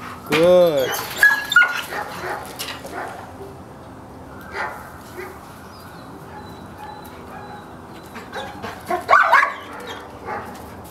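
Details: Sable female German Shepherd lets out one loud, rich bark at the start, then a couple of short, higher yelps later on, while a person talks and encourages her in the background.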